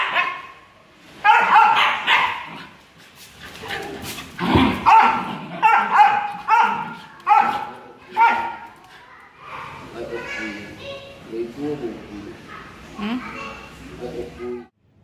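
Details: Jealous Siberian Husky making drawn-out, wavering howl-like whines and moans in a long series of rising and falling pulses, some yelping notes, with a person's voice mixed in toward the end.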